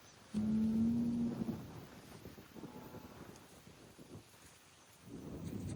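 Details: A Highland cattle bull on a farm in Finland makes noise while kicking dirt: one loud, steady, low moo lasting about a second, then quieter rumbling and scuffing, with a rising noisy burst at the end.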